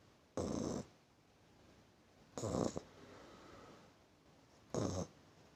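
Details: Sleeping puppy giving three rough, noisy snores about two seconds apart, each a brief harsh burst with quiet pauses in between.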